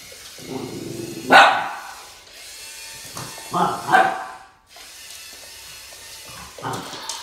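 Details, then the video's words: Boston Terrier named Max barking while confronting a snake; three sharp bursts about 1.3, 3.9 and 6.7 seconds in, separated by quieter stretches with a faint human voice. "BOSTON TERRIER MAX Vs SNAKE"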